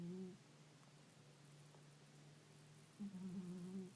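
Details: Sleeping pet cat snoring indoors with a sound likened to a fly buzzing around: a short low buzzy hum, a long quiet stretch of faint breathing, then a second wavering buzzy hum.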